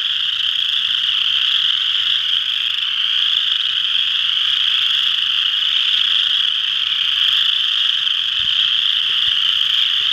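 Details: A dense chorus of western chorus frogs at Ojibway Park, Windsor, Ontario, their high rasping trills merging into one steady, unbroken drone.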